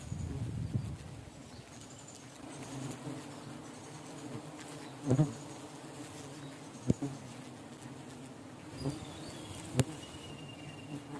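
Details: Giant honey bees, a colony of hundreds of thousands moved and released one morning at an agricultural college in Namakkal; a steady low droning hum of many wings, with a few sharp taps and clicks standing out.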